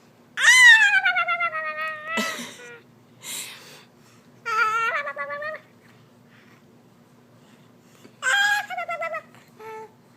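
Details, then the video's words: Young pet cat sitting still while its chin is wiggled by hand, giving wobbly, warbling meows: a long quavering call, then several shorter broken meows with trembling pitch, separated by brief pauses in a quiet room. "Funny Sounds with Baby Clark"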